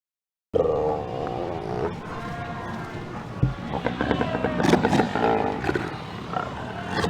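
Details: A large Cape fur seal colony at Cape Cross, Namibia, recorded on 19 February 2019, in full voice: overlapping hoarse, bleating barks, growls, pup attraction calls and female attraction calls.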